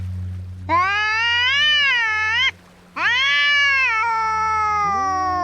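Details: Cats fighting: two long, harmonically rich yowls about two seconds each, the first rising and sagging, the second sliding downward after a short gap as another lower voice joins, over a steady low hum.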